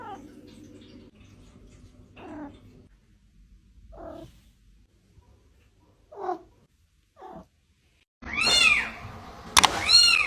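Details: Domestic cat meowing indoors, a few short soft mews early on, then after a quiet stretch two loud, arching, harmonic-rich meows near the end, with a sharp click between them.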